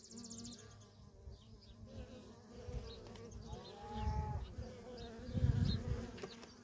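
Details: Worker honey bees busy at a feral colony, their low drone rising and falling as bees fly close, with a brief thin whine in the middle and louder passing buzzes later.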